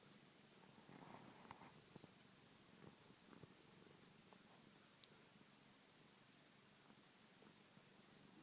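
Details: Domestic cat asleep indoors, purring and snoring at low volume; a soft continuous rumbling purr with faint breathy pulses, occasional small clicks and rustles, no other voices.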